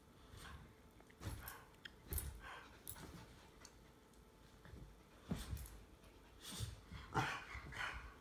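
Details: Two dogs, a Jack Russell Terrier mix and an English Bulldog, play-fighting; short rough growling bursts at irregular intervals, some with brighter snarling edges, the loudest cluster near the end, over faint low background rumble.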